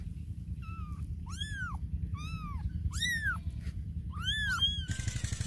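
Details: Cats and kittens calling with a quick series of arched meows, some short and flat, others rising and falling, closely spaced over a constant low rumble, ending in a burst of hiss-like noise.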